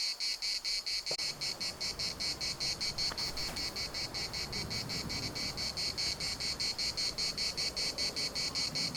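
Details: Cicadas at the municipal park in Larnaca: rhythmic, shrill pulsed buzzing at about four beats a second over low rustling wind noise and a couple of brief clicks.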